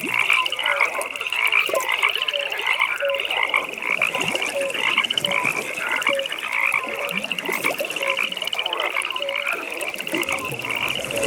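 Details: Many frogs calling together at a nighttime pond, a dense steady wall of high pulsed trilling overlaid with brief tonal peeps and scattered mid-pitched croaks, unbroken throughout.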